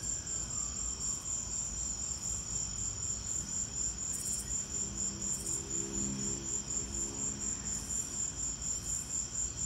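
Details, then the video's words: Chorus of crickets during a lightning storm, high thin chirps pulsing about twice a second in a continuous band, with a faint low hum and rumble underneath. "Lightning and crickets!"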